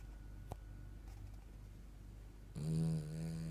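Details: A French Bulldog relaxing on a sofa on a Sunday snores loudly, a rough, rattling drone that starts abruptly after a quiet pause.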